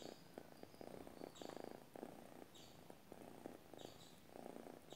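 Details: Purring from a sleeping domestic cat, a low vibrating buzz that swells and fades in regular breathing cycles about every half second to second, faint high-pitched chirps in the distance.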